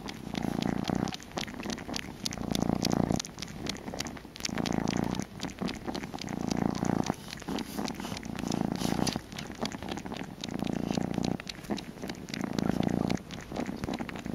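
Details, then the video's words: Kitten purring steadily indoors while wanting a bottle, a rumbling purr in pulses roughly every two seconds with brief pauses between breaths, continuous throughout. "Kitten Baby Wants a Bottle"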